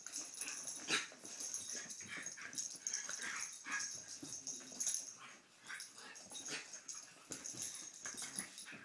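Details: Two dogs, Poppie and Nellie, having fun at play indoors: breathy huffs, wheezy snorts and scuffling bursts come in irregular clusters, with faint high hiss running throughout.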